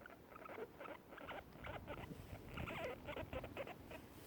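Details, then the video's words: Guinea pigs feeding on grass produce their happy noise: dense trains of brief, slightly squeaky pulses, rising to a busier, louder patch midway, with soft rustling underneath. "Guinea pigs making happy noises while eating"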